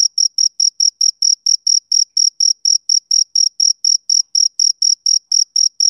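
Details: Continuous trilling pulses from a male cricket: sharp, high-pitched chirps about four per second, evenly paced, and alone in an otherwise quiet setting.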